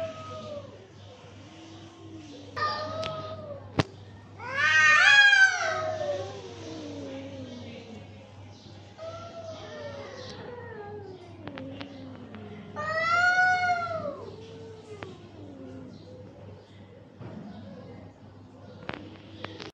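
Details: Fighting cats trade a series of long, sliding yowls and moaning wails, with two loud, rising-then-falling screams separated by quieter pauses, and occasional sharp clicks or knocks in between.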